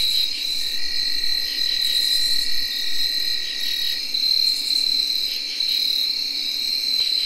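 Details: Tree crickets at night in early October 2021: a steady, unbroken high whirring trill. Field crickets and katydids join in, adding pulsed raspy bursts on top and a lower steady band beneath.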